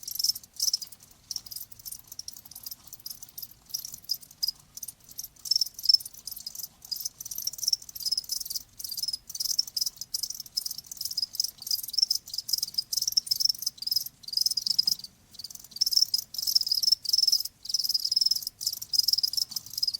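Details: Cricket chorus of high, buzzy chirps repeated in fast pulsing bursts, several insects calling at once with brief gaps between trains.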